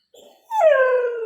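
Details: Pet dog in the morning, said to be asking for food while hungry; one long whining howl that starts high and slides slowly downward, with clear harmonics, preceded by a brief soft whine.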